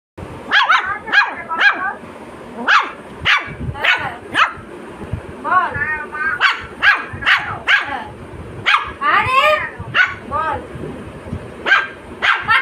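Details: Angry Lhasa Apso puppy barking in rapid, sharp bursts about every half second to second over twelve seconds. Some barks are wavering, yelping and higher, with a human voice in the background.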